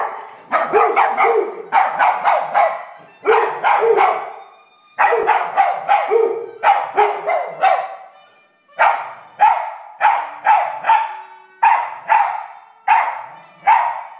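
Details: Pet dog barking and howling in response to a trumpet in a television theme tune; rapid bursts of sharp barks in clusters of three to five, with short wavering howl-like notes between them, no other sounds.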